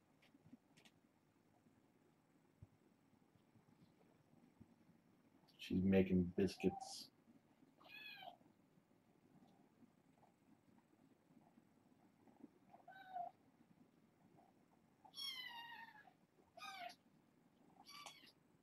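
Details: Foster kittens, a litter of four females and two males born August 29, settling for bedtime indoors: a series of short, high, rising-and-falling meows, some in quick pairs, after a burst of nearby human speech.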